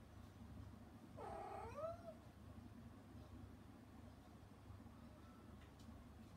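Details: Mother cat calling to her kittens from outside a frosted-glass door after being put out for interfering with their weaning food; one loud, bending meow lasting about a second, then only low background rumble.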